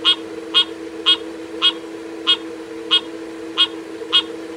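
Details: Frog calling with short, sharp, high notes repeated evenly about twice a second, eight in all, over a steady low hum.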